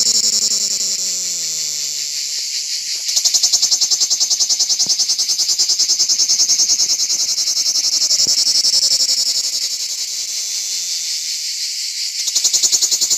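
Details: Lyristes plebejus cicada singing on an olive tree on an organic farm: a loud, continuous high buzzing with fine rapid pulsing that swells and eases, briefly dipping near the end, while faint low gliding tones fade out early on.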